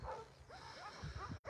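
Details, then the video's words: Abandoned little female puppy crying outside Takis Shelter, covered in ticks; a series of short, thin, rising-then-falling whimpers, several in quick succession, over low rumbling background noise. "I hear a puppy crying outside of the shelter"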